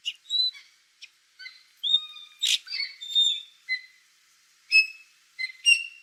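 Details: Otter making soft high whistled chirps and squeaky calls, some rising, in a busy irregular series.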